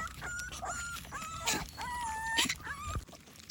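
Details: American Pit Bull Terrier puppies during their morning routine and feeding: a run of short high whines and whimpers, several drawn out and gently rising, over clatter and background noise.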